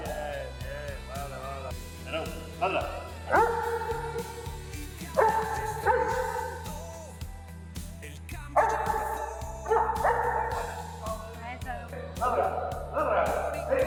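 A Doberman gives short, deep single barks on command, spaced a couple of seconds apart over background music.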